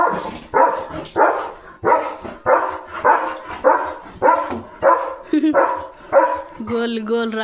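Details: German Shepherd named Leo, grabbing a water mug in his mouth during play, barks repeatedly at a quick even pace, about one bark every half second, with a person's voice mixed in and a short tonal sound at the close.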